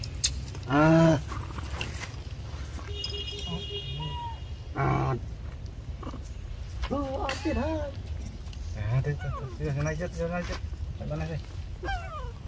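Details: Hungry baby monkey Rainbow crying loudly, asking for milk: several wavering, rising-and-falling whimpers and squeals in short bursts, mixed with people speaking Vietnamese and a few loud thumps and handling noises.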